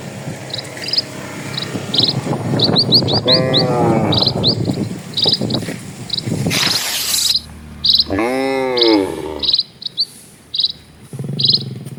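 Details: A herd of cattle walking along a village road in the countryside; a short moo early on, then a clear arched moo near the end, amid repeated sharp bird chirps, a burst of rustling noise and wind.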